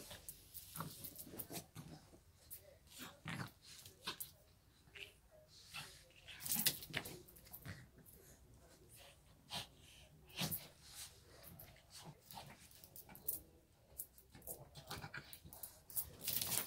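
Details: Shih Tzu dog heard up close making quiet, raspy wheezing snorts and sniffs in irregular bursts over about sixteen seconds, with faint indoor room noise.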